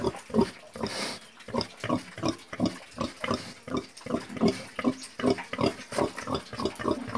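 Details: Low pig grunts repeated nearly three times a second, uneven and snuffling, with a brief hissing rush of noise early on.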